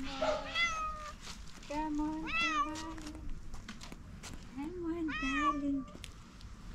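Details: A fluffy calico cat begins meowing on seeing someone, giving drawn-out, arching meows around the middle and later part, each with a bright rise and fall, while a person coos softly over them.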